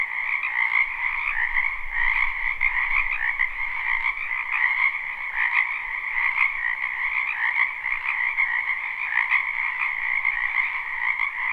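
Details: Wetland frogs calling in spring, captured live without loops; a wall of trilling croaks from many animals, continuous and even, with faint low rumble in the background early on.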